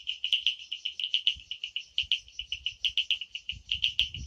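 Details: Frogs calling at night in the Amboli hills forest, Sindhudurg: a rapid train of short, bright, high-pitched tonal pulses, roughly six per second, fairly even, with a faint low rumble underneath.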